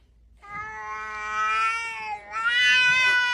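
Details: Cat giving a long, loud, drawn-out yowl, steady at first then dipping briefly and rising again, rich in harmonics; a person's voice is faintly heard around it.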